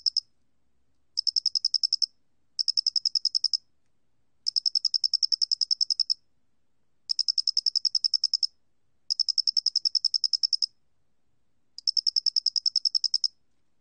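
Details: Square-headed cricket recorded in 2020 by a national biological resources institute, producing longer high trills of rapid, evenly spaced pulses lasting about one to one and a half seconds, separated by short gaps, in silence.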